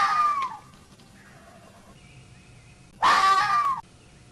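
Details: A red fox gives two harsh, hoarse screams, half a second then nearly a second long, a few seconds apart; such short explosive screams are described as a male's aggressive warning to rivals, typical of winter urban nights.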